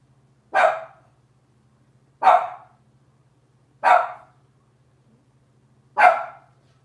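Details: Cavalier King Charles Spaniel puppies from Robin's litter, indoors on a kitchen camera: four short, sharp barks spaced about one and a half seconds apart, each dropping away quickly, over a steady low electrical hum.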